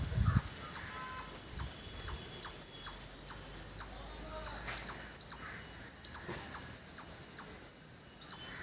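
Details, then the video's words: High squeaky chips from a squirrel in a village setting repeat in a quick, steady series with a brief pause near the end. Faint background noise sits underneath. "Beautiful Squirrel Making Sound"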